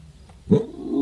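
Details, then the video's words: Leopard calling at night: a single abrupt, low, rough roar-like burst breaks a quiet stretch, then a fainter grating tail continues to the end. "Leopard Voice In Night"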